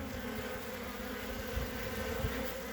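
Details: Honey bees on three frames, the hive opened on 14 February 2021 with capped brood and a blue-marked queen visible. A continuous low, harmonic buzz of the colony steadies under light handling thuds.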